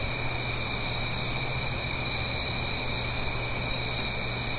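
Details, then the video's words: Crickets singing on an autumn night in the Blue Ridge Mountains, uphill from a gentle stream: a dense, unbroken high-pitched chorus in two steady shrill bands, over a low constant hum and soft rushing background hiss. "Autumn Crickets - 9-Hour Sleep Sound - Fall Cricket Song"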